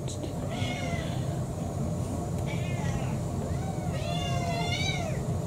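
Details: About four-year-old brown tabby mixed-breed domestic cat begging for dinner in a six-cat household; a series of four or five clear, harmonic meows that rise then fall, the later ones longer and louder, over a steady low rumbling background hum.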